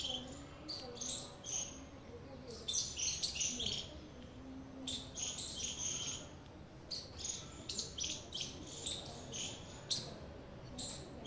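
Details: A squirrel gives a long run of shrill, scratchy chip notes in uneven bursts, sometimes bunched in quick clusters with short pauses between, against low steady background noise.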